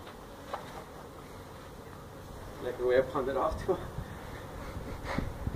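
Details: Feral honey bees being removed from a hive they built inside a tractor tire, part of a tire stack at a citrus orchard in Mission, Texas; a low rumbling background with brief louder tonal buzzing swelling around the middle and again near the end.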